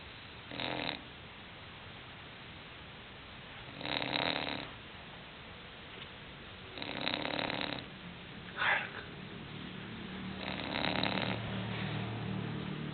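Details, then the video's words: English bulldog snoring in irregular rasping bursts, five snores of varying length with a brief higher snort in the middle and a low steady hum near the end. "English bulldog snoring"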